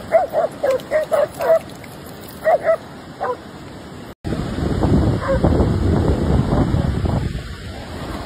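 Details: German Shepherd barking in a rapid run of five short yaps, a pause, then another quick burst, before the barking stops and a louder rumbling background noise takes over with a few faint barks.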